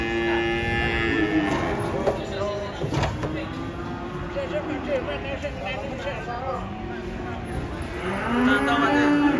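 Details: Cattle being unloaded from a truck, a child running along; drawn-out, wavering moos rise and fall among men's shouted warnings, engine rumble and a steady high hiss, with louder mooing near the end.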